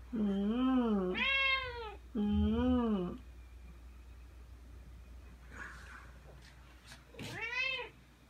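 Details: Indoors, a Ragdoll cat about two and a half years old, named Aoi, follows its owner around meowing as the owner dresses to go out; two long, loud wavering meows back to back, then a shorter rising meow after rustling.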